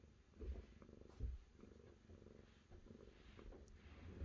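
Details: Brief stretch of cat purring, a throaty low vibration that surges in short bursts roughly every second, ending on a sharp click.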